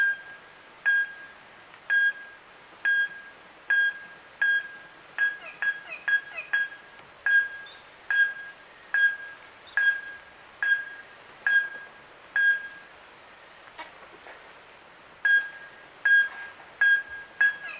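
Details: Wahlberg's epauletted fruit bat (Epomophorus wahlbergi) in Kruger National Park, giving short, sharp metallic pinging notes repeated roughly once a second, at times in quicker clusters, with brief pauses between series.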